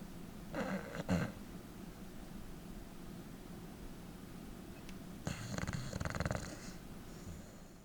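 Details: Bulldog Densuke asleep indoors, his snoring fairly soft for a bulldog. A brief snorting breath comes first, then a longer rattling snore of about a second and a half after a quiet pause.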